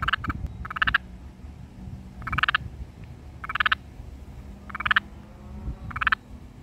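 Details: A little garden toad croaks with its vocal sac inflated, giving short, raspy croaks, often in quick pairs, about every second and a half.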